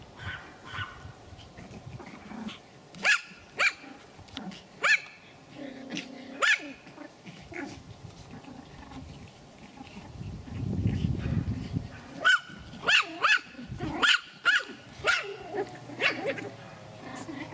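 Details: Pomeranian from the Elenhouse kennel in Kyiv, Ukraine, heard while eating: a string of short, sharp yapping barks in irregular bursts, some closely spaced, with a brief low rumble mid-way and a woman's voice speaking Russian nearby.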